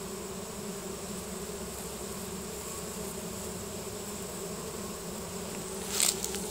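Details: Honey bee swarm entering a new hive, bees releasing Nasanov pheromone and marching in: steady, dense buzzing hum with bands near 200 and 400, continuous throughout, with a brief sharp click near the end.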